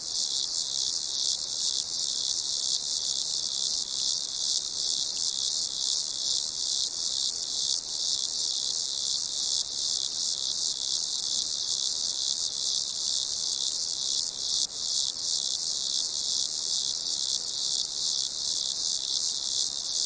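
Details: Crickets in a dense, unbroken high-pitched chorus, many overlapping chirps merging into a steady shimmering trill with faint pulsing throughout, no other sounds.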